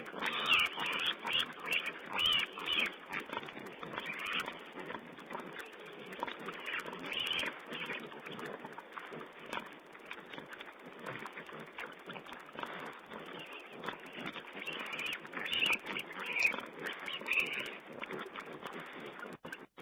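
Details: Wild boar piglets squeal while feeding before a wildlife camera on 16 April 2010. Rapid, irregular high-pitched squeaks and short squeals crowd together, louder near the start and end, over background hiss.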